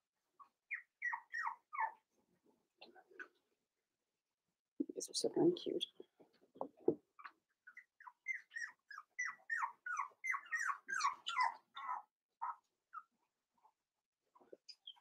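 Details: Five-week-old Cavalier King Charles Spaniel puppies in Daisy's puppy pen, indoors: bursts of short, high, falling yelps and whines in quick runs, with a broad scuffling noise midway and a little human speech nearby.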